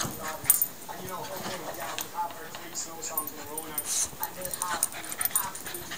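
A Yorkshire Terrier makes wavering, whiny grumbles and yips while a person talks nearby.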